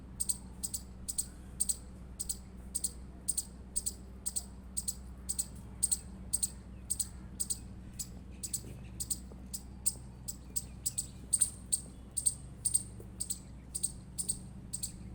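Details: Persistent chirping by an Indian squirrel, a rapid regular series of about thirty sharp, very high chip notes at roughly two per second, over low background hum.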